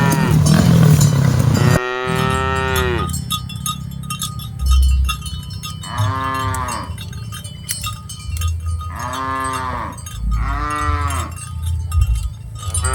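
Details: Dozens of cattle being herded mooing: a long falling moo near two seconds, then three separate harmonic moos around six, nine and eleven seconds, with a rhythmic clanking of cowbells and low rumbling throughout.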